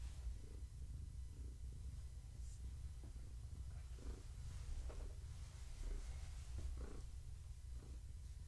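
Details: Low continuous purring from Gaia, a pregnant long-haired tabby family cat, as she is petted; the rumble stays even and deep, with soft scattered rustles and faint mid-pitched bumps over it.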